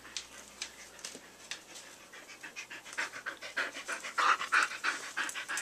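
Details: Kira, a pet dog, panting in quick, breathy, rhythmic bursts, roughly three per second, soft at first and growing louder and harsher toward the end; no vocal whines or barks stand out.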